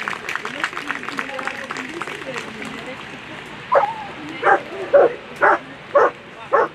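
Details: German Shepherd competing at World Championship agility, Ine v Krausenberg, placed sixth in the final; crowd talk fills the first seconds, then loud single barks ring out about every three quarters of a second.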